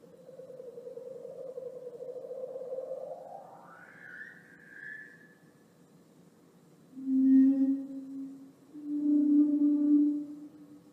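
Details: Leopard seal (Hydrurga leptonyx), underwater calls.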